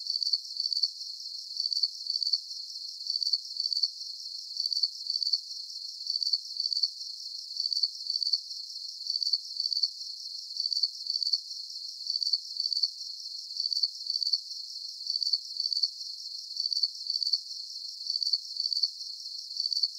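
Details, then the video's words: Soothing cricket sounds for deep sleep. Very regular trains of high-pitched, trilling chirps follow one another at an even pace, about two per second, over a thin steady hiss. No birds, voices or music. "Calming Cricket Sounds"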